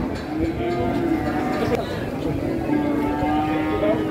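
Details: Very large cattle, called the biggest and most expensive, shown in the morning before a big watching crowd; a low, drawn-out moo holding steady tones, under constant crowd chatter and voices.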